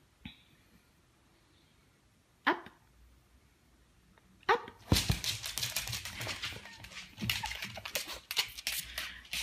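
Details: Lucy, a pet bulldog indoors in a small room, being coaxed with cheerful speech: two sharp isolated bursts, then a rapid run of harsh, noisy barks and huffs that keeps going for several seconds.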